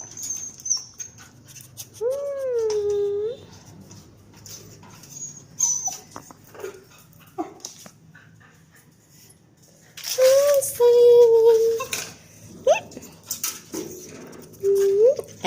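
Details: Shih Tzu and Maltese mixed-breed dog whimpering in long, wavering tonal whines that come in separate bursts, with a soft noisy background between calls.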